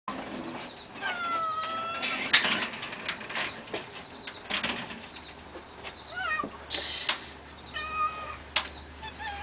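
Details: Several house cats waiting for their breakfast meow repeatedly, short rising and falling cries among clinks and shuffling, with a person speaking softly.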